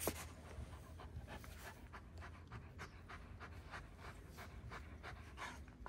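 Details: Quick, rhythmic breathy panting from a one-year-old Kangal dog in Alanya, Antalya province, Turkey, on 24 September 2024, each huff a few tenths of a second apart over a constant low rumble.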